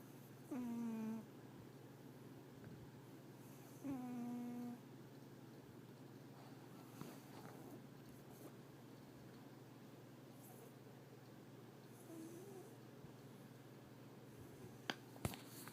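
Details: Female pet cat named Sushi snoring while napping indoors: two short tonal, slightly falling nasal snores about three seconds apart, then a long quiet stretch with steady low room hum and a few faint clicks.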